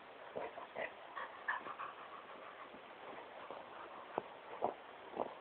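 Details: Great Pyrenees Smokey having fun on his couch indoors, giving a run of short whiny yips and grumbling vocal bursts, several per second, ending with a few sharper clipped barks, over steady background hiss.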